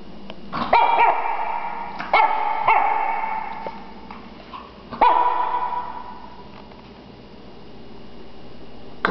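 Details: Aspen, a female Shih Tzu puppy three and a half months old weighing about 4 lb, barking while playing: a few sharp, high yapping barks spaced a couple of seconds apart, with a person urging her to get her toy.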